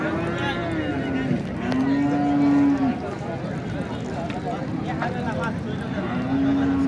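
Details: Cattle at the Nandail Chourasta cattle market, with heifers and bull calves, on 10/04/2025: a long low moo, then a second steady moo, and a third starting near the end. Market chatter, people asking prices, and background music are heard.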